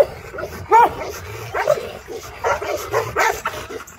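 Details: Rottweiler facing off with an armadillo, giving short, high, yelping barks in uneven bursts about every half second over a steady low background rumble.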